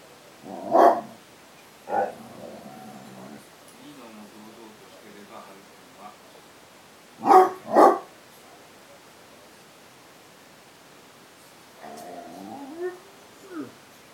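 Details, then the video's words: A basset hound faces off with cats, letting out scattered barks: a single bark, then a tight double bark midway, with softer tonal whining or vocal sounds between them and near the end. "basset hound --- vs cats!"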